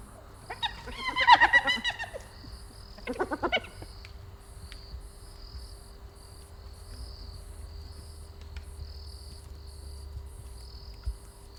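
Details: A spotted hyena in Southern Africa lets out a strident, rich-toned harmonic call lasting over a second, then a briefer, stuttering one; afterwards only a steady, rhythmic insect chorus remains against a low night-time hum.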